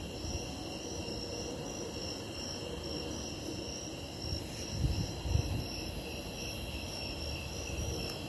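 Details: A chorus of snowy tree crickets trills steadily at a high pitch before an impending lightning storm, with low rumbling noise and a couple of dull thumps.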